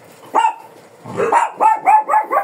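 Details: Shih Tzu described as fierce and in biting mode, barking at a groomer: one yap, a short gap, then a rapid string of shrill, ringing barks about three per second.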